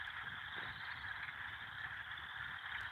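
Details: A dense, unbroken chorus of many frogs on a farm at night forms a steady high trilling wash with no pauses, over a faint low outdoor rumble, the frogs having grown louder daily over the past week. Finding: frog.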